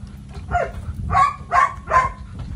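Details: Belgian Malinois named Psycho barking: four short, harsh barks. A lone one opens the clip, then three more come in close succession about every half second, with a faint low rumble underneath.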